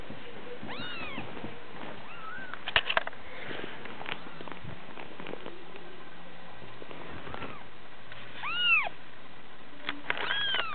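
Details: Kitten giving several arched meows, a few early, then a clearer pair near the end, with soft clicks and handling noises between them.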